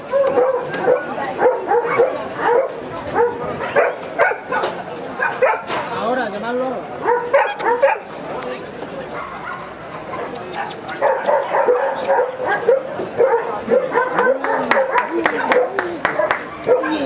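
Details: Barking German Shepherd recorded in Gibraltar in 2013: irregular runs of short, harsh barks mixed with whining tones, while human voices chatter nearby across the whole recording.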